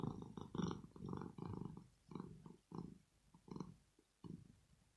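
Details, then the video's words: Female house cat Rosetta purring in her sleep, expressing relaxation: rough low rumbles come in quick uneven bursts, louder at first, then breaking into shorter pulses with pauses. "ASMR CAT PURRING SOUND"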